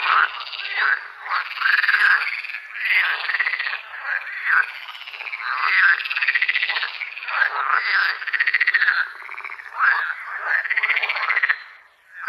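Frogs calling continuously with rough, pulsed croaks that rise and fall in overlapping bursts.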